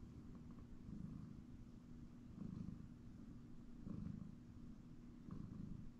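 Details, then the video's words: Domestic cat, male, asleep on a comfy chair in a house, purring a low, fluttering rumble that rises and fades in slow swells roughly every second and a half, following his breathing. Background calm and quiet. "Cat Nap on the Comfy Chair - Purring"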